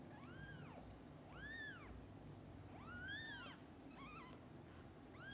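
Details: Domestic cat family, mother with kittens: repeated high, arching mews roughly every one to one and a half seconds, the later ones wavering and more broken, over quiet low hum.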